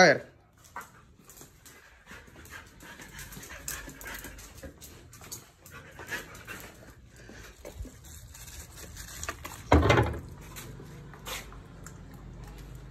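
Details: Berlín, a young Siberian husky in its first year, panting in soft, breathy bursts over a quiet background, with a louder rustle near the end.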